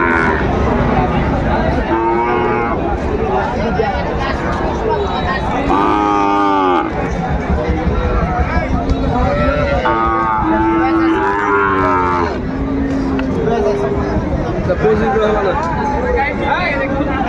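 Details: Sahiwal bull calves at a cattle market on 15 December, being bought by a Dhaka farmer: several loud, drawn-out moos with rising and falling tones, overlapping in bursts, with constant crowd chatter and bargaining voices throughout.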